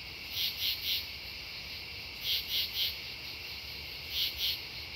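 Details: Night chorus of true katydids at Devonwood Conservation Area, September 10, 2015, with harsh three-pulse rasps recurring roughly every two seconds above a constant high background of other insects.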